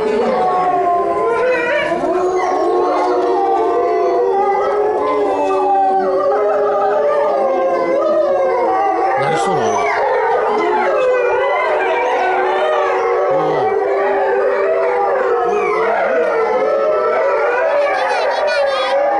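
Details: Several Chinese wolves at Tennoji Zoo, filmed 23 February 2013, in a dense group howl lasting nearly twenty seconds: long wavering tones at different pitches overlap, some rising and sliding, some sustained, forming a continuous layered chorus.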